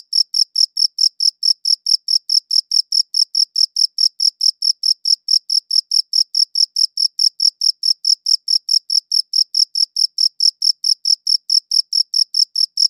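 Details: A cricket's chirp repeated in a long, very regular sequence, about four bright, high pulses per second, recorded cleanly in high quality with a silent background.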